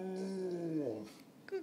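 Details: A dog saying hello with a drawn-out, moaning, talk-like vocalization: a harmonic tone held, then sliding slowly downward over about a second, ending in a brief soft sound.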